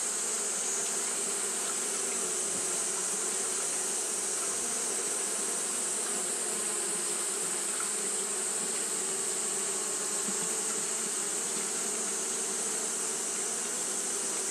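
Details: On a hot day Japanese honey bees keep fanning nonstop, making an unbroken swarm-like drone that stays even in loudness throughout, a hissing upper layer over a lower humming tone.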